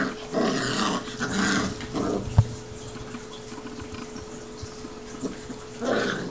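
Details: Pair of seven-week-old Newfoundland puppy brothers at play-fighting, short gruff growls at the start and again at the end, a quiet stretch with shuffling and a thump in between, faint hum throughout.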